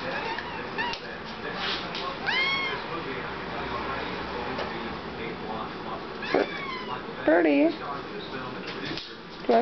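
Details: Talkative Siamese kitten about to be given the hairball remedy it loves; several arched, wavering meows spread across the clip, answering a woman who keeps asking whether it wants some.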